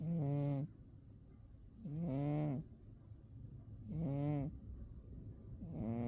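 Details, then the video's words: Winter-sleeping cat Umi produces steady nasal snores, four long rough breaths spaced about two seconds apart, each swelling then cutting off, against quiet room hum. "Umi the cat winter zonks and snores"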